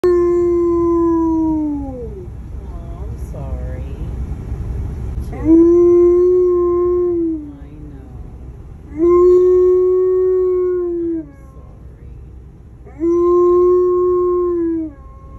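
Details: Alaskan Malamute named Tonka howling, presented as a sign of sadness: long steady tones that slide downward at the end, repeated about every three to four seconds with quieter whimpering sounds between them.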